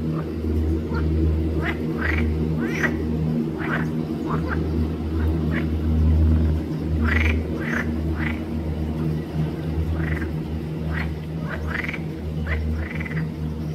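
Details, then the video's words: Green frogs (Pelophylax) at Arboretum Volčji Potok on 5 June 2024 give a busy run of short, croaking pulsed notes, roughly one a second, some overlapping, over a steady low hum. "Pelophylax sp. ZELENA ŽABA"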